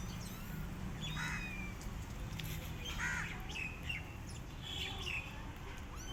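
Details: Rescue kittens left alone, their mother cat not feeding them, give faint, thin mews with a slight waver, four short cries spread over six seconds above a steady low hum.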